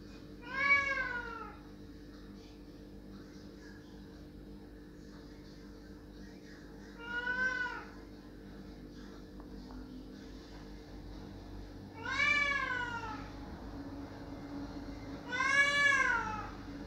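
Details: Cat crying loudly at a closed door, wanting it opened: four short, loud meows spaced irregularly, arching up then down in pitch, separated by quiet stretches of low indoor hum.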